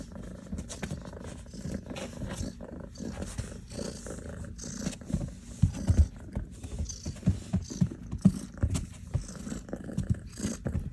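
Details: Rescued kitten, Kiwi's sister, inside after surviving 10 days lost following a snowstorm, purring up a storm while soaking up affection: a deep, continuous low purr with rhythmic pulses and scattered rustling and touch sounds.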